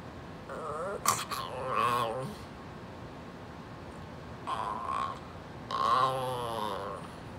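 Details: Female Brussels Griffon Pumpkin telling her owner to scoot over, with several whiny, warbling grumbles in quick succession, each rising and falling in pitch, separated by short pauses indoors.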